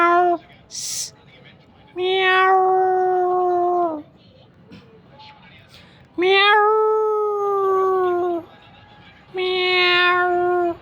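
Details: Meowing from a mother cat with her kitten: a brief high squeak and a short meow, then three long, level meows of about two seconds each, with quiet gaps between.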